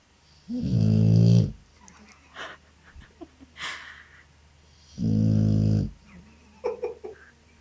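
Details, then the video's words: Two loud, deep snores about four seconds apart from a sleeping dog, each a rough, rattling rumble of roughly a second, with faint rustles and breaths between them. "Snoring dog"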